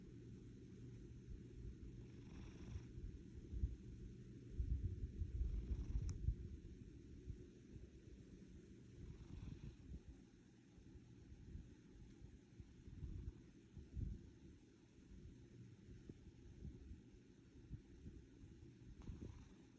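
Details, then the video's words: A domestic cat purring like an engine: a continuous low rumbling purr, steady and throaty, with slight swells in loudness and faint soft rustles. "purring like an engine"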